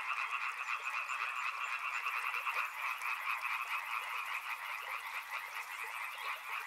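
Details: Dense riverside frog chorus, countless croaks layered into an unbroken throbbing drone at mid pitch, with a faint high-pitched pulsing trill joining after two seconds.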